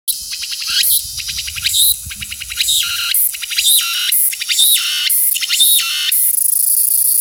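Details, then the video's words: A Walker's cicada (tsukutsuku-boshi) on a second-floor window screen in summer sings loud, high, buzzy phrases that swoop up and down about once a second. "２階の網戸に「ツクツクボウシ」の巻！"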